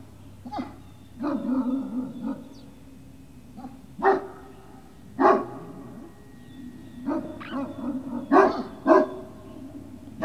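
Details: Great Dane puppies at Puppy Hill, recorded 18 November 2018 in the early afternoon, give short yelping barks mixed with tonal whines in scattered bursts, some grouped closely together, over a steady low hum.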